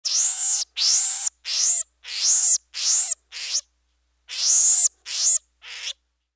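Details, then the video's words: Pygmy marmoset squealing: nine very high, thin, arched squeals in quick succession, each about half a second long, with a short pause before the last three. Clean recording with no other sounds. "Monkey - Pygmy Marmoset: Squealing"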